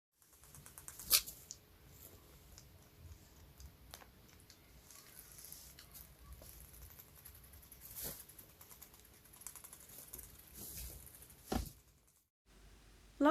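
A guinea pig chatters its teeth, a quiet run of dry, rapid clicks signalling annoyance.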